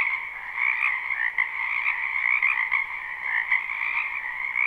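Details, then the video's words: Wetland frogs in spring croak all at once, producing a bright, trilling chorus with quick rises and dips in loudness, steady from start to end. "Ambient Noise for Sleep Frogs"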